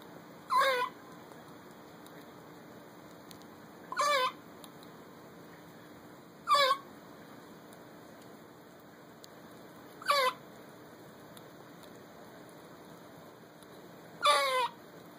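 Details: Squirrel named Olivia squeaks at a dog while eating a honey roasted peanut, giving short, high, wavering squeaks, one every three seconds or so, five in all, over a faint steady hum.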